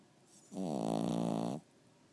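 A Cavalier King Charles Spaniel gives a single rattling, nasal snore lasting about a second.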